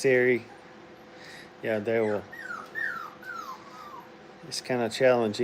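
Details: Playing Brittany puppies at a training kennel: loud, buzzy yelps open and close the recording, with a string of high, downward-sliding whimpers in between, indoors.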